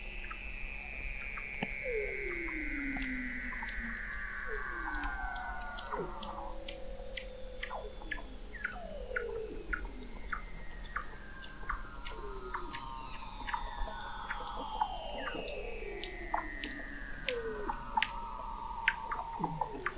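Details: Chorus of Weddell seals under the frozen Southern Ocean ice of McMurdo Sound, recorded November 2017 at 21 m depth: long falling whistles sweep down one after another, layered with many brief clicks and quick downward chirps.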